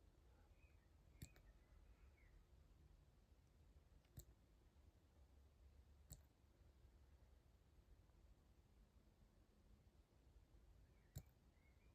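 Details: Quiet room with a few sharp isolated clicks and faint low background hum, no animal voice audible.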